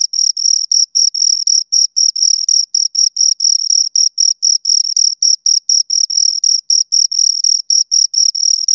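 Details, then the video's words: Two crickets chirp steadily near the listener, a high, pure pulsed trill broken into short bursts about every quarter second, with a faint overtone above and total silence underneath. "Two Crickets Chirp Sounds for Two Hours Right on Your Ears"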